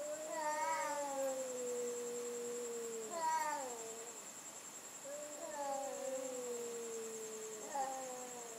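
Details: Night-time cat sound battle, long moaning yowls that slide gently downward over two to three seconds, repeated about four times with brief rising yelps between, quiet with a constant high-pitched hum in the background.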